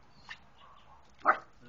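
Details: Small dog playing in water on a hot spring day in Abilene, Texas: one short, soft yip near the start and a single louder bark about a second later, with quiet background between.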